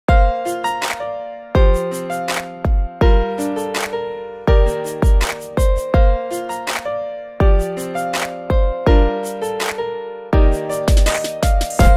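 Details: Bouncy instrumental music with sharp percussive hits about every one and a half seconds under a repeating tune; nothing from animals.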